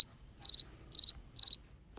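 Spring field cricket singing short, high, pulsed chirps, about two each second.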